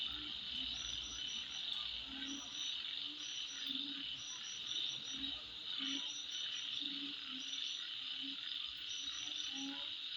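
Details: Nighttime insects at midnight keep up a high, even whine, with clusters of fast high ticks and intermittent short low notes pulsing roughly every half second.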